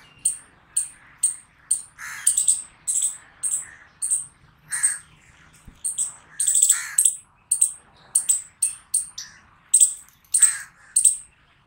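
A squirrel barks in a fast string of sharp, high, chipping notes, several each second.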